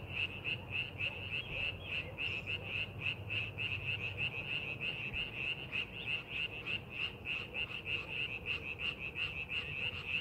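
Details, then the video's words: Frogs calling in rice paddies being readied for farming: a dense chorus of rapid, regular croaking pulses, about three per second, with a bright buzzy upper tone, over a low steady rumble. "농사준비하는 논에서 개구리 울음소리"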